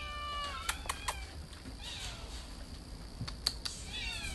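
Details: Cat meowing in a garden on 8 June 2020: a short harmonic meow at the start, then falling cries near the middle and end, with sharp clicks and taps between and a low background rumble.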